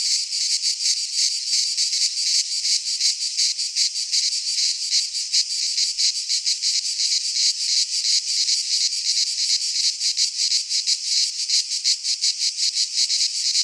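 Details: Greek pine forest cicadas in midsummer: a loud, high, sizzling chorus broken into quick rhythmic pulses, about three per second, continuing without pause.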